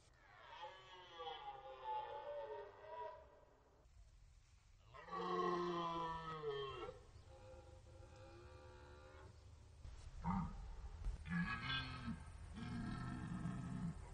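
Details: Red deer stags in rut at the Orzysz military training ground, Poland, in an archival recording: several drawn-out, rough, harmonic roars follow one another, some long and loud, others shorter and broken into bursts, over a low background rumble.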